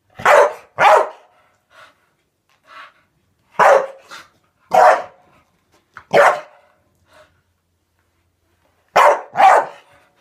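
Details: Staffordshire bull terrier barking while attacking and eating bubbles indoors, loud harsh barks in pairs and singles separated by short pauses, with a few faint softer yaps between.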